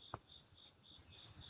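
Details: Night insects heard at midnight on a quiet walk: a steady high continuous trilling hum with a fainter lower band, plus a brief soft tap near the start.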